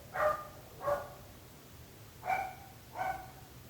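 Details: Two pairs of barks from dogs that trouble the neighbourhood: the first pair lower and rounder, the second pair higher and more tonal, each bark brief with a clear harmonic ring.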